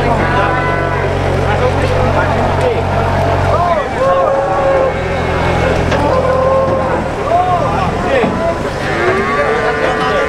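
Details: Cattle being loaded onto a truck at the new Boyolali cattle market, Indonesia: a deep engine drone fills the first four seconds, then several short, rising-and-falling moos break through amid human voices and market clatter.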